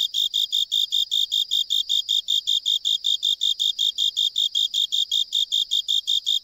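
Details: Japanese burrowing cricket singing from a drainage pipe, found during an island survey in Japan: clean, high, ringing chirps repeated steadily at roughly 160 per minute, each short and evenly spaced, with a silent background.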